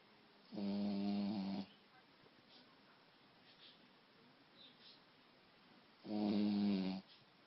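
A Shih Tzu snores in two long, rattling, low-pitched breaths separated by a quiet pause.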